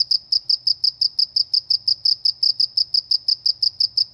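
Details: Countryside cricket giving a steady run of high, sharp chirps, roughly three per second, even and unbroken, over a very quiet background.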